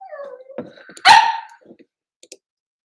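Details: Cavalier King Charles Spaniel puppies playing indoors in a home puppy pen: a falling whine slides down, then one sharp loud yip, and a few faint clicks follow.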